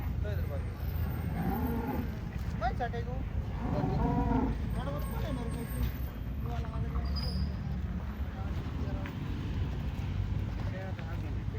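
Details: Holstein Friesian cattle on an Indian farm give several short lowing moos between one and five seconds, harmonic and wavering, amid constant low-frequency background rumble and occasional voices.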